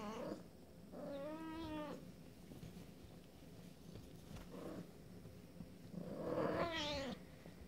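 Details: Abyssinian kittens, 24 days old, on their first outing from the nest: two thin, wavering kitten mews with stacked harmonics, each lasting about a second, separated by quieter rustling and shuffling.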